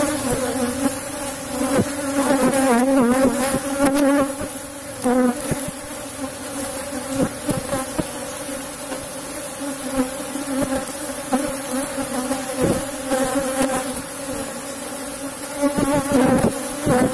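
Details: Asian honey bee (Apis cerana) colony, described as a super colony in a box hive, droning through a honey harvest; a sustained low hum with pulsing, wavering surges and scattered tapping and knocking.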